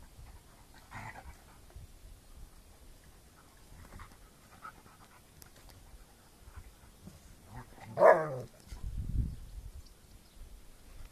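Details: A male rescue German Shepherd from Romania, once poor with other dogs, getting to know another dog: soft, steady panting through most of the clip, then one short, louder vocal burst, a person saying "No" afterwards.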